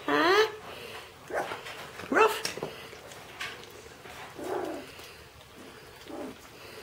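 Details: Shetland Sheepdog puppies indoors give short high yelps and whines, a rising squeal at the start and another sharp cry near two seconds, with softer whimpers after; a person talks to them quietly.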